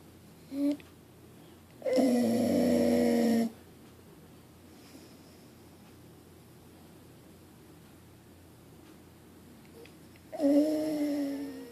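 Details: Sleeping Pit Bull snoring indoors: a long tonal, droning snore of about a second and a half, then a quiet pause of several seconds before the next breath, preceded by a brief faint snort.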